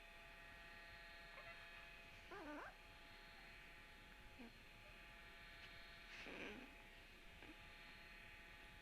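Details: Puppy recorded on Tuesday, March 17: several short, thin whimpering whines, each bending upward then sliding down, come in brief bursts a few seconds apart over a steady electrical hum.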